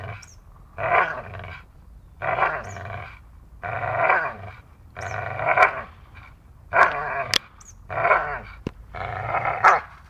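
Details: Dachshund playing and biting, giving rough, throaty growls in bursts about a second long, repeated roughly every one to two seconds with short quiet gaps, a few sharp clicks between bursts.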